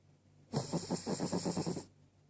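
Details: Snoring Cavalier King Charles Spaniel: a single drawn-out breath with a fast, fluttering low rattle under a breathy hiss, lasting just over a second in an otherwise quiet room.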